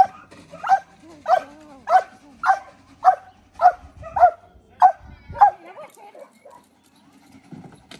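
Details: Belgian Malinois during decoy training barking in a fast regular series, nine sharp barks in about five seconds, then quieter shuffling sounds.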